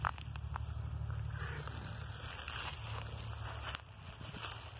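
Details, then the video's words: Friendly gray cat outdoors in the woods, rolling on his back for belly rubs during a walk; low rhythmic purring runs throughout, softening near the end, with light crackling, rustles and footstep noises. "PURRING AND HEAD BUMPS -- IN THE WOODS WITH A SWEET CAT"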